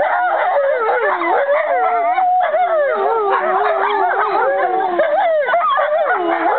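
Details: Five related American wolfdogs, Aiyana, Juma, Akani, Shadow and Lupo, in a joint howl recorded 5.11.2011; one long smooth wavering howl runs low beneath several higher curving voices and short yips.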